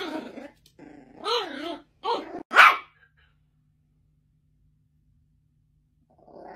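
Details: Yorkshire Terrier barking: a few harmonic, wavering barks and a growly yelp over about three seconds, followed by silence and a faint low sound at the end.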